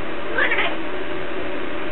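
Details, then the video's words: House cat answering a person in a back-and-forth 'conversation'; a quick two-part meow with a slight rise, followed by continuous hum and no further calls. "Кошка разговаривает"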